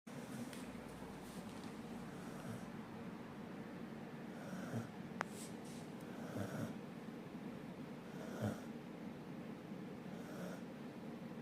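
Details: Sleeping dog snoring: soft rasping snore bursts recur at uneven intervals of about two seconds over a low, steady indoor background hum.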